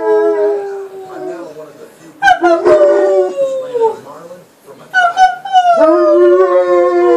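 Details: Male American Akita named Shadow, 15 months old, howls toward his mommy: long wavering tones gliding downward, broken by sudden yelps and a whimpering rise, with a person's voice faintly mixed in.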